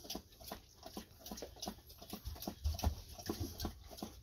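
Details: Golden Retrievers Ibuki and Kohaku drink heavily after a walk: rapid, wet lapping strokes of the tongue repeat about three times a second. The splashing clicks are steady throughout, with low room rumble underneath.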